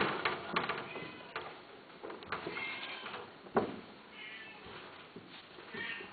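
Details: A male and female Persian (Himalayan) cat pair mating; one gives drawn-out, wavering meows, with clicks and knocks around it.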